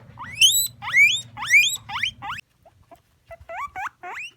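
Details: A female guinea pig gives loud, shrill rising wheeks, several in quick succession, then softer squeaks.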